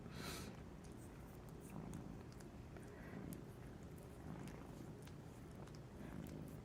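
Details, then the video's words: Pet cat asleep in the middle of the day, dreaming and twitching; soft low rumbling snore with breathy rhythmic pulses, a brief hiss at the start, quiet room. "Cute cat is snoring, twitching, dreaming and waking up."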